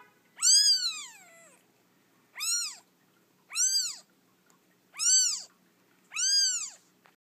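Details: Days-old orphan kitten rescued from a feral colony: one long, drawn-out meow falling at the end, then four shorter arched cries about a second apart, faint hum underneath.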